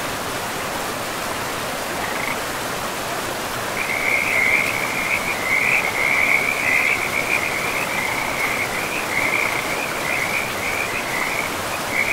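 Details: Frog chorus by a forest river: after two quiet seconds a loud, continuous high trill of rapid pulses starts and carries on to the end, backed by the even roar of the flowing river.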